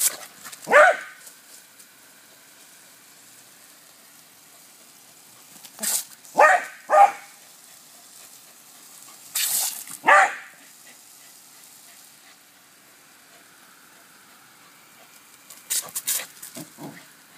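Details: Cody the dog barks while playing with the hose: four loud, sharp single barks scattered across the recording, in pairs near the middle, with bursts of hissing water spray between them.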